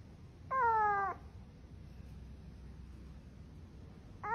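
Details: Domestic cat giving one steady, level meow lasting about half a second, followed by quiet room hum and the start of a second meow at the very end.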